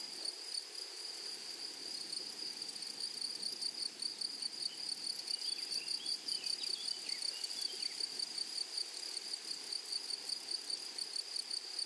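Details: Grasshoppers in a flowery meadow give a steady, high, shimmering insect drone with fast pulses throughout. Faint, brief chirps rise and fall in the middle section over a soft background hiss.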